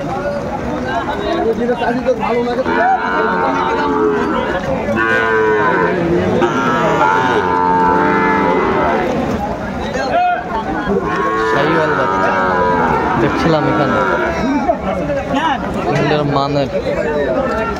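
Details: Sahiwal bull cattle at a rain-soaked cattle market in Madaripur, Bangladesh, on 3 September 2024. Several drawn-out, harmonic lowing moos rise and fall one after another, with people bargaining and talking throughout.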